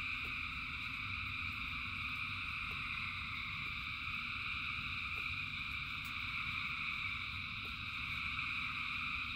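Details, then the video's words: Frogs in rain, countless voices blended into one even, ringing trill high in pitch, steady throughout, with a low rumbling wash and occasional faint clicks of drops. "Frogs in Rain 2 Hours of Frogs, Thousands of Frogs Singing"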